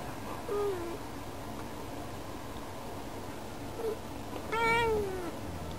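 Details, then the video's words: Female house cat at a window, calling to birds outside as though inviting them to play; two faint short chirp-like meows, then one louder, longer meow that bends up and falls away near the end, in a quiet room. "しゃべる猫 - vol.14 - 「みんなで♪」-Talking Cat"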